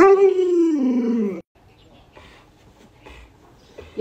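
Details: Alaskan Malamute reacting while its owner is sick and unable to get out of bed; a drawn-out falling howl lasting about a second and a half, then quiet room sounds with faint voices.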